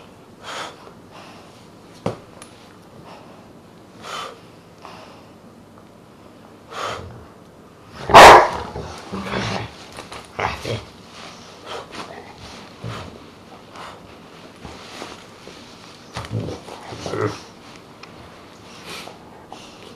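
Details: Pet dog, a Dogue de Bordeaux and Rottweiler cross, barking: one loud, sharp bark midway stands out among scattered softer barks and yips spread unevenly across the recording.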